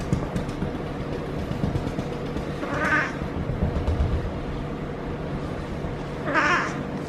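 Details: Feral female cat in her first heat cycle gives two short, strained yowls about three seconds apart, while being petted and rolling, against a steady low hum and broadband rustling noise.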